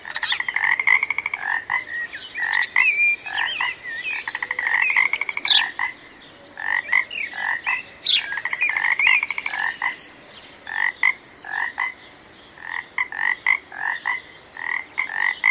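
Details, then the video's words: A frog croaking steadily: clusters of short, hoarse, mid-pitched notes, some run into quick clicking series, coming in irregular bursts with short pauses, plus a few sharp high chirps overhead. "Magical Frog Sounds"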